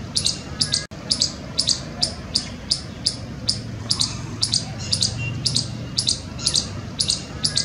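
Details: An Indian palm squirrel on a palm tree in a village near Jammu gives sharp, high chirps, repeated steadily about twice a second.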